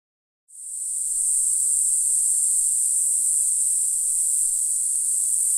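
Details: Black-winged grass cicada, Mogannia formosana of the Green Island form, on Green Island, Taiwan, in April: after a half-second of silence, a shrill, very high, buzzing drone starts, swells over the first second, then holds steady and unbroken to the end.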